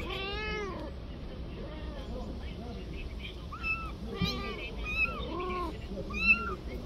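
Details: Street mother cat begging for her kitten back, fearing harm to it: a long wailing meow opens, then a run of shorter arched meows, several overlapping with lower cries, amid a low background rumble.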